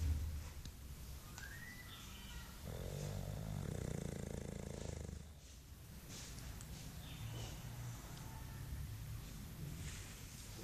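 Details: Sleeping English Bulldog Mike, also suckling his tongue, gives a continuous low, rattling snore that grows louder for a few seconds mid-way, then settles back into a softer, rumbling drone.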